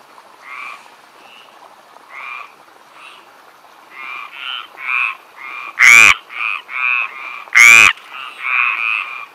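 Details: Stripeless tree frogs calling on vacation in southern France: a chorus of short nasal croaks, with two loud, harsh, rasping croaks close by near the end, about two seconds apart.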